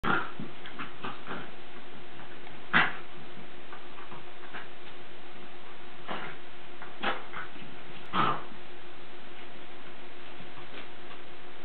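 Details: Lakeland Terrier during play, giving a few sharp, brief yips and squeaky whimpers spaced several seconds apart, the clearest near the middle and end, over a quiet indoor background with faint scuffling.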